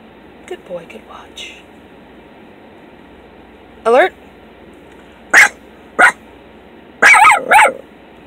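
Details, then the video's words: Fawn and tan Miniature Pinscher puppy, a young AKC-registered male, on his second ride in a vehicle and learning to guard the car, gives a puppy alert: a few sharp, short barks in a row, with people talking in Spanish in the background. "Learning to protect the car"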